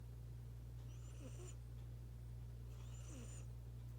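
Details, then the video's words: Domestic cat snoring at home, suddenly breathing very loudly: two hissing, breathy bursts about two seconds apart over a steady low hum. "Sus ronquidos"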